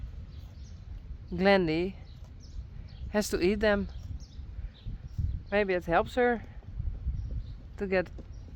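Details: Friesian horse whinnying outside: four quavering neighs with a strong trembling vibrato that slide downward in pitch, arriving in bursts roughly two seconds apart, with steady low-pitched ambient rumble throughout.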